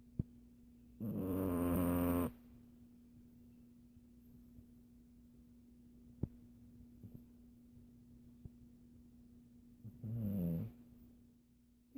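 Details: A sleeping Siamese cat, possibly dreaming, snores in two long, rough, rasping breaths spaced several seconds apart.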